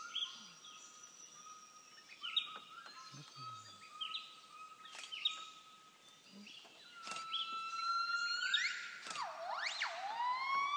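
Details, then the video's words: Gibbons in Laos in 2013, possibly two, sitting high in the crown of a dry tree, sing pure hooting notes building into swooping rising-and-falling whoops, with a cuckoo calling alongside. "Кукушка мешалась в пении гиббонов. Репертуар закончился, очевидно."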